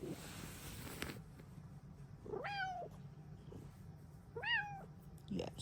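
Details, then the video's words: Two clear meows from a happy female Bengal cat in the morning, each climbing and then falling, about two seconds apart over low room hum. "Happy Kitty noises!"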